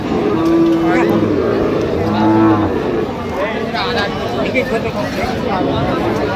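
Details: Cows and calves at the Aftabganj cattle market on 25/10/25: a drawn-out low moo near the start, then a shorter one, amid constant crowd chatter, loud speech and market bustle.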